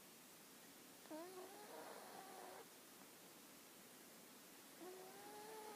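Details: Hana the dog snoring: a squeaky rising whistle that blurs into a breathy rasp lasting over a second, then a quiet pause before a second steady whistled snore begins.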